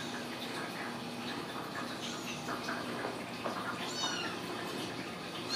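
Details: Ragdoll kittens raised in a home cattery in central Kansas, not caged, giving soft, thin high meows that rise and fall, several overlapping, over steady room hiss.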